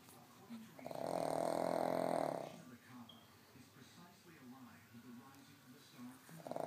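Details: Sleeping pug snoring loudly: one long, loud rasping snore lasting over a second, then quieter rhythmic snuffling breaths, with another snore starting at the end.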